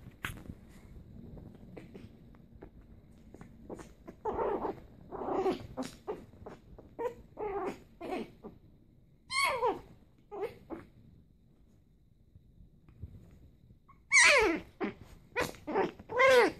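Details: A tiny Maltese Pomeranian mix, or Maltipom, growling while playing: soft low rumbling at first, then short scattered bursts and whiny harmonic yelps that grow louder near the end, indoors.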